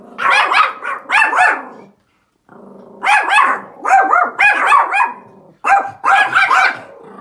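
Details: Pomeranian outside barking at another, larger dog while an owner urges it to stop; loud bursts of quick, high yapping barks in groups of two to four, separated by short pauses.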